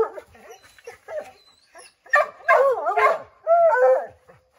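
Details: Several Redbone Coonhounds, named Bo, Luke, Lulu, Cooter and Jesse, barking and howling at a chipmunk up an oak tree; overlapping yips and wavering bays build into a drawn-out howl, with a few bird chirps behind.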